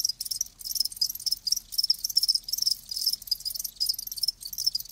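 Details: Crickets kept alive giving shrill, high chirps in quick pulsed bursts separated by short pauses, a few callers overlapping in a quiet background.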